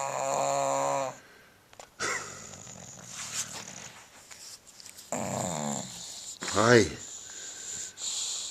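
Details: Ten-year-old bulldog snoring loudly while asleep, described as so loud he sometimes wakes himself: a long harmonic rasping snore, then further ragged snorting breaths and a sharp rising snort, with a man's voice speaking softly.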